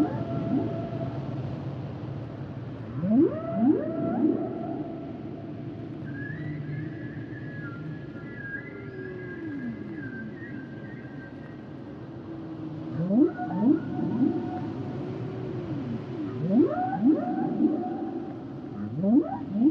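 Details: Humpback whales singing: clusters of steep rising whoops at three, thirteen and seventeen seconds, separated by a high, drawn-out wavering tone and soft descending glides, set against a continuous low underwater hum.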